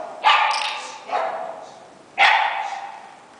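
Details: One-year-old dog in ongoing training for barking at other dogs, a habit from lack of socialization as a puppy; three sharp, loud barks, two in quick succession, then a third after a short pause, each trailing off.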